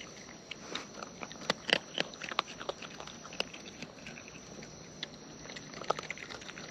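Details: Wild raccoons eating close up: sharp, dry clicks and crunches scattered unevenly through the clip, a few louder bites bunched together near the middle, over a faint steady background hiss.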